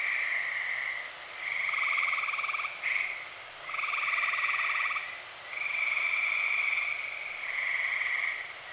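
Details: A chorus of dozens of tree frogs calling at night in early summer in Eastern Pennsylvania gives long, buzzy, high-pitched trills that overlap and swell in waves.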